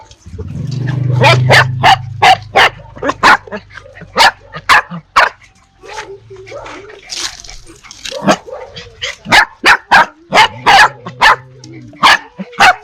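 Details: Steady rapid string of short, snappy barks and yips, roughly three per second near the end, after a low rumbling start; dogs and puppies barking, fierce toward strangers, puppies toward familiar people.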